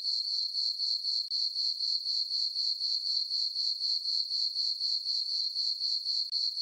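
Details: Night chorus of crickets in a meadow on a farm under the full moon in summer: a bright, ringing, sustained trill with rhythmic pulsing near four beats per second, very uniform throughout.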